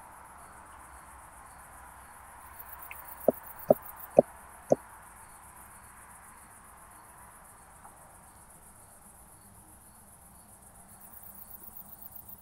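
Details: Southern Oak Bush-cricket recorded at Starnberg, Germany, on 7 August 2023 with a Pettersson D 100 ultrasound detector; four sharp, dry taps in quick succession about half a second apart, over a steady faint hiss.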